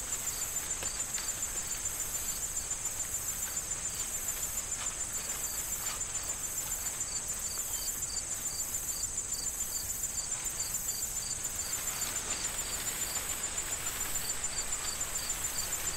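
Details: Fall ambience of crickets in a corn field with wind and rustling stalks. A steady high-pitched trill runs throughout while rapid, regular pulsed chirps come and go, fading briefly in the middle behind gusts of rustling.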